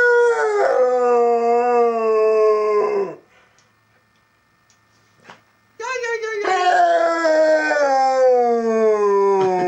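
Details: Pet dog Benny howls at home in a quiet house, coaxed by his owner. Two long, steady, mournful howls are separated by a few seconds of near silence, each held level before falling away at the end.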